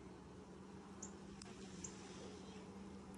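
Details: Honey bees during the first hive inspection of 2020, six days after the nucs were installed: a steady low droning hum holds throughout, with a few faint high chirps above it.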